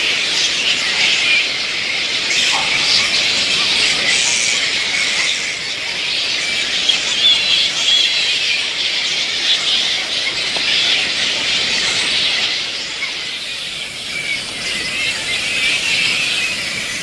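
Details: Fruit bats of the little red flying fox species squeal together at their camp at dusk, a constant high-pitched clamor that swells and eases slightly. A brief lower squeak stands out early amid the crowded chatter.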